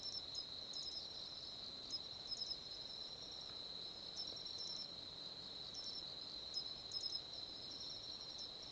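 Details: Matsumushi cricket, nominate subspecies from mainland Japan, singing clear sharp high chirps in short paired bursts every second or so, over a steady shrill hum from other insects.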